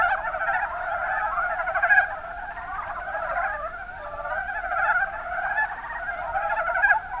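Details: Mountain brown frog chorus from the Kuma Basin, Kumamoto, Japan (Rana ornativentris): steady, tightly packed grating pulses in overlapping calls, loudest at the start and in brief peaks around the second and fifth seconds.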